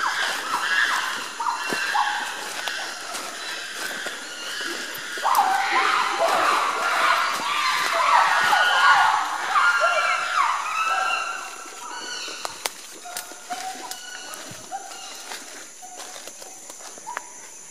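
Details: Several wild gorillas, heard while searching for them, cry out together in harsh, strained, wavering tones that overlap and swell midway, then thin into shorter, scattered outbursts.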